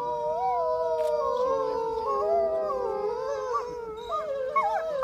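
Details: Several wolves at Reading in the UK give a chorus of drawn-out howls, interweaving steady and wavering tones at different pitches, one voice rising and breaking into quick yips near the end.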